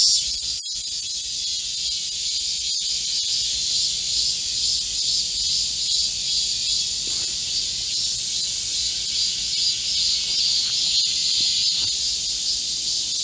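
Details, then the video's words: Cicada chorus in a Korean midsummer forest, July 2024, during a heatwave: steady high-pitched hiss-like buzzing with soft pulsation, a few faint brief sounds in the background. "Korean cicadas, a chorus in a midsummer green forest | 한국 매미들의 한여름 초록 숲속의 합창"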